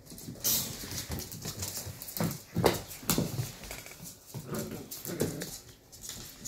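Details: Pair of 11-week-old sheltie puppies wrestling roughly; short grumbling growls and yips come in quick bursts amid sharp clattering and scuffling noises of play.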